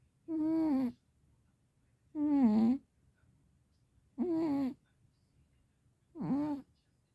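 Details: Warm, deeply asleep Sphynx cat snoring loudly indoors: four strong, whiny, tonal snores, each about half a second long, coming evenly every two seconds with silence between.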